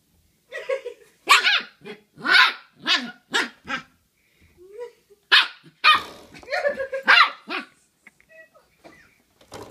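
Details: Ten-week-old Shiba Inu puppy playing with a doorstop, giving a rapid string of high, sharp yapping barks and yips in bursts of two to four, with a short lull near the middle before the barking resumes.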